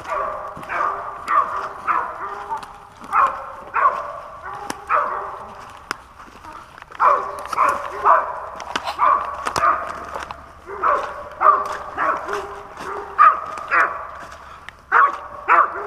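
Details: Hunting dog on a 2021 squirrel hunt in Pennsylvania, day four of the outing, barking in rapid uneven bursts of harmonic, mid-pitched barks, roughly one every two seconds, with short pauses and faint rustling between volleys.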